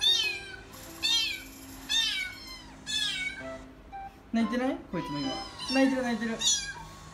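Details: Rescued kitten, abandoned and found stuck between walls, meowing back at a recording of its own voice; several short rising-falling meows, with sustained background music and brief chatter.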